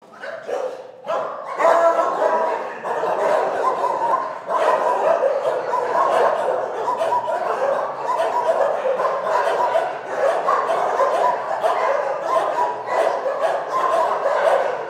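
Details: Many dogs in a shelter barking together in a dense, continuous chorus of overlapping barks and yips, loud and unbroken from the second second onward, with no pauses between callers.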